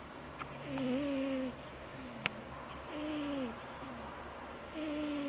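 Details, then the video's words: Cat snoring loud and high. Each breath carries a thin, steady whistle that sags slightly at the end, over a soft hiss. The breaths repeat roughly every two seconds, and a single sharp tap sounds midway. "Cat snoring LOUD High"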